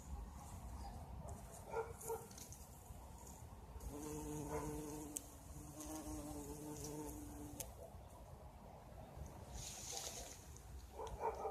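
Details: In spring a bumblebee buzzes on blossoming currant bushes, its deep steady hum swelling for about four seconds mid-way between quieter stretches of faint outdoor background.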